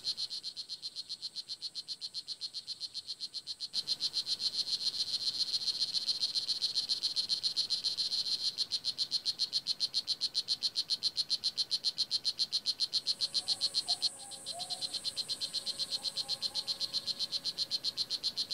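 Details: At Kahka Creek Rainforest Preserve, Nicaragua, a blue jeans poison dart frog calls in a sustained run of sharp high chirps, about three to four each second, briefly pausing near the end; faint lower chirps of another creature appear late.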